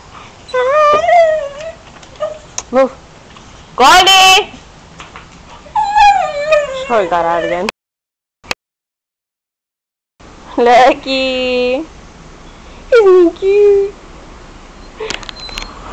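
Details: Pet dog named Lucky whining after the household's other dog, Goldy, ran away; wavering, high tremulous whines come in several bursts, mixed with human speech, with a brief silent gap in the middle.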